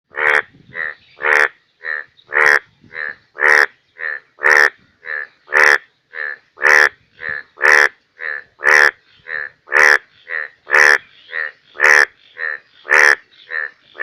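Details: Indian bullfrog (Hoplobatrachus tigerinus) calling in the rainy season in Bangladesh; loud, harsh, rasping croaks repeated steadily about once a second, long and short calls alternating in a regular rhythm, no other sounds.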